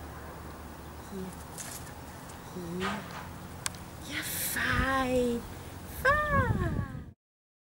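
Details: A 7-week-old miniature wire-haired dachshund bitch, Amelia, objects to her first lead. Soft whimpers build into a longer wavering whine, then a final clear downward-sliding cry before silence.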